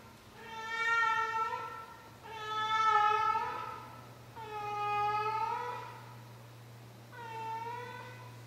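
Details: Nightly meowing from a 16-year-old cat: four long, wailing meows spaced about two seconds apart, each rising and falling slightly, with a constant low electrical hum in the room.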